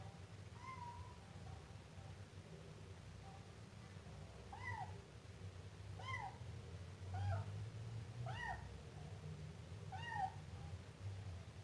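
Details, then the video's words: A Siamese kitten gives one early meow, then after a pause a run of five short, sharp, arching meows about a second apart, each with clear overtones, over a low room hum. "Efeito sonoro de gato miando filhote siamês"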